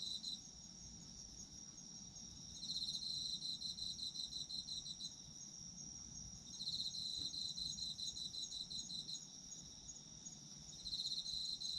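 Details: Autumn insects calling at length: bouts of quick pulsed chirping alternate with quieter stretches, all over an unbroken high-pitched insect hum.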